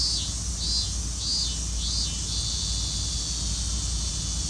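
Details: Robust cicada chorus in Hibiya Park, recorded 20 August 2019: pulsing high-pitched phrases repeated about once per second over a constant shrill insect hum.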